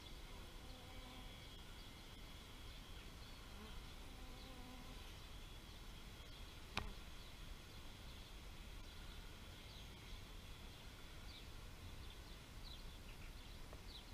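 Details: Bees hum past in two clear low droning flybys, one at the start and one midway, over constant background hiss, with one sharp click and scattered high bird chirps.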